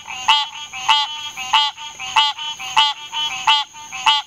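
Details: A green tree frog (Hyla cinerea) gives a nasal, bell-like quonk, repeated steadily a bit faster than once a second.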